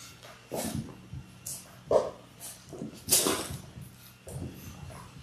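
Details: Litter of six Labrador Retriever puppies in their sixth week, born January 18, 2022, on a live puppy cam on February 28: short irregular whimpers and snuffling yips in bursts, with rustling bedding and a faint steady hum behind.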